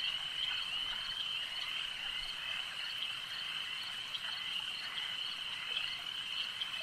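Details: Lakeside frog chorus: many callers merge into one continuous high-pitched trill that holds level throughout, with light crackling ticks over a quiet background.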